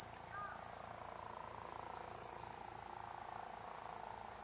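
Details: Platypleura kuroiwae cicada singing a steady, unbroken high-pitched hiss that holds at one pitch throughout, with a brief faint whistle early on and soft low rumble beneath.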